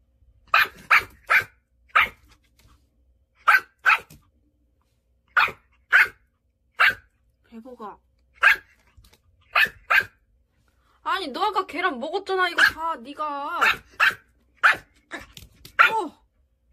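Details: Irritated young Pomeranian gives repeated sharp yapping barks in quick runs, then a stretch of wavering whines and whimpers, with a person talking to it.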